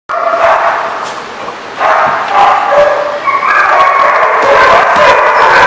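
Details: Many dogs at The Barking Lot, recorded 30 June 2014, barking and yelping over one another in a dense, continuous din. A brief lull comes near the two-second mark, then the yapping swells again with overlapping high yips.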